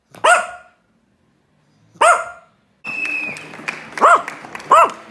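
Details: Roger Wellington, a Yorkie, gives two loud, clear barks a couple of seconds apart. Shorter, rising barks follow over a busier background with a steady tone and scattered clicks.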